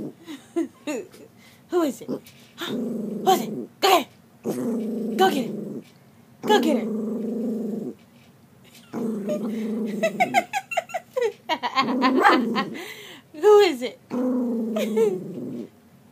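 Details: Miniature poodle, female, reacts to herself in a mirror with a run of throaty growl-barks and whiny "talking" sounds. Bursts last one to two seconds with short pauses, and a woman's voice chatters over several of them.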